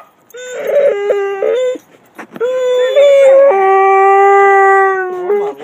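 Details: Excited homecoming from Gracie, a Basset Hound aged seven, reunited with her owner after a vacation, two other dogs also present: choppy wavering whines lead into a sustained, loud, slightly falling howl lasting about two seconds.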